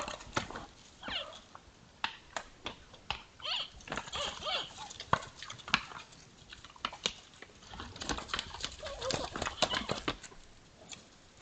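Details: Two sambar deer sparring, giving odd sounds: sharp clattering knocks repeated irregularly throughout, mixed with short whining, bending tonal cries around the first, fourth and ninth seconds, over a faint background hiss.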